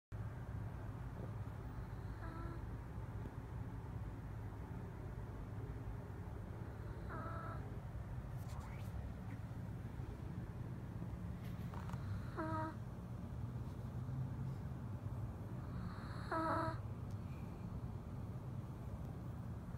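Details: Small dog sleeping on a person's legs, snoring: short nasal, whistling breaths recur roughly every five seconds over a steady low background hum.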